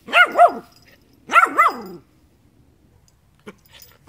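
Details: Dog barking in two double-note bursts, each a quick pair of harmonic yaps rising and falling, about a second apart, then quiet with a faint click near the end.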